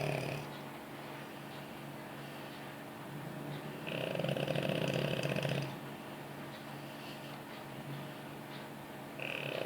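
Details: French Bulldog, a very pampered dog, snoring while asleep on its owner's lap: a low, steady rumbling drone with a louder, rougher stretch in the middle before it settles back to a soft hum.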